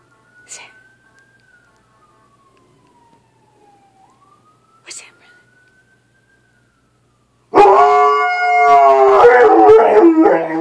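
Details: Old English Sheepdog, 17 months old, howling in response to a passing ambulance: a siren sweeps falling and rising for several seconds, then the dog breaks into a loud, sustained, wavering howl rich in harmonics.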